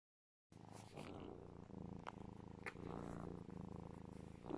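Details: A pet serval cuddled in its owner's arms purrs very loudly, a deep steady rumble with rapid even pulses, and also chirps.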